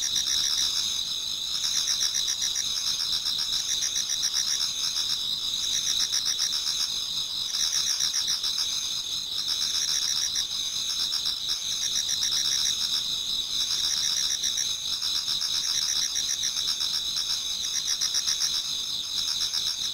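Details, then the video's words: Autumn insects sing in a Japanese garden as dawn approaches, a thick high-pitched chorus of sustained trills over rapid rhythmic pulsing, holding steady for twenty seconds with no other sounds breaking through. "Autumn Insects voice Towards dawn"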